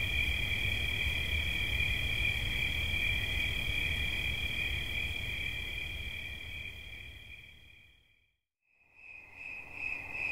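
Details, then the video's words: Cricket trill for relaxing listening, steady and ringing at first, then fading away to near silence before the high shimmering song swells back in at the end. "Świerszcz. Dźwięki relaksacyjne"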